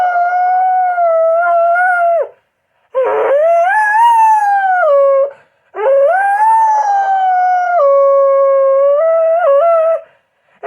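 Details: A house dog howls in long drawn-out tones, three sustained howls that bend up and down in pitch with brief gaps between, the last cut short, in a quiet setting.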